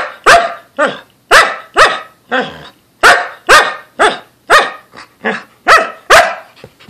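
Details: Samoyed Lexi announcing she needs to go outside to relieve herself, a close-up recording of eleven loud, sharp barks in quick succession, roughly two per second, with short silent gaps.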